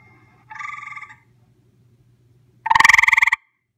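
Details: Close-up recording of a visiting gray treefrog giving short pulsed trills: a softer one first, then a loud, rapid burst of about fifteen pulses lasting under a second over a faint low hum.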